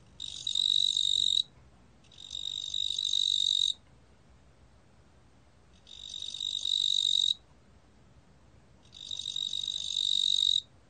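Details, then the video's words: A cricket (the fat cricket, 뚱보귀뚜라미), recorded in 2020, gives long buzzy trilled bursts with a strong high tone. Each burst lasts about one to one and a half seconds, with roughly two-second pauses between bursts, over a quiet background. "뚱보귀뚜라미, 여러번 듣기, 곤충소리"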